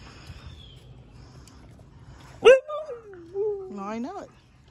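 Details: A husky outdoors among bushes gives one loud vocal howl lasting over a second, starting sharp, sliding downward, then rising again at the end; quiet background noise beforehand.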